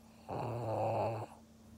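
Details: Pug named Maria in Japan, recorded 16 February 2021, gives one snore lasting about a second: a steady, low, buzzy rasp with rough overtones that starts and stops abruptly over a faint indoor hum.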